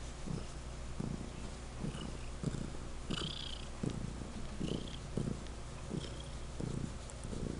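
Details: Loud purring from Legend, a domestic cat; regular low rumbling beats about every half second to second, with a brief higher hiss-like sound midway.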